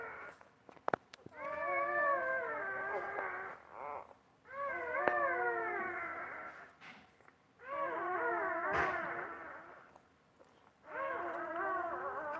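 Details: Newborn litter tended by a Basset Hound mother; four separate wailing, quavering cries, each lasting about two seconds with a wobbling pitch, spaced by brief quiet gaps and a few sharp taps.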